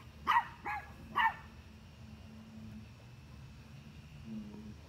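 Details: Dog barking at deer: three sharp barks in the first second and a half, then a long stretch of low background hum with only faint sounds.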